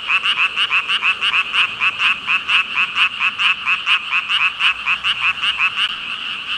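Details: Among thousands of frogs, one loud close caller repeats short, rasping ribbit pulses about twice a second in a steady rhythm, ringing over a quieter background chorus of countless others.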